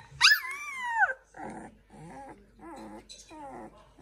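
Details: Seven newborn Samoyed puppies indoors at home, a first litter: a long, high, wavering squeal rising then sliding down, followed by several shorter whining, moaning cries in a row, with quiet pauses between.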